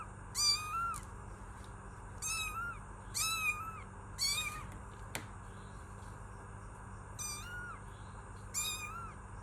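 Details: Kitten giving a run of six high, thin meows, each bending up and then down, mostly in close pairs with brief pauses between, against a steady low background hum.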